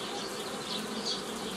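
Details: Brief moment of honey bees humming steadily while nucleus colonies are made in the traditional manner, 15 May 2018, with a short swell of louder buzzing near the end.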